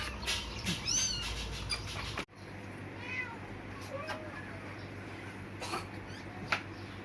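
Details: Tiny kittens with eyes still closed, four discovered on a cloth among Muslim, Christian and Chinese graves in Indonesia at dusk; a sharp rising-falling mew, then fainter scattered mews, with people talking nearby.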